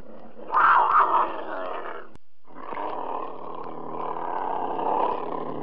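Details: Cougar letting out a loud, harsh snarl, then after a brief pause a long, steady, low rasping growl that grows slightly louder toward the end.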